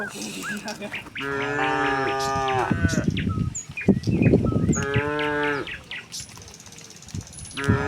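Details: A herd of tame cattle leaves the barn for a grassy pasture, lowing in answer to each other. Several moos overlap in the first seconds, a shorter one follows, with a low rumbling thump, chirping birds and shuffling noise.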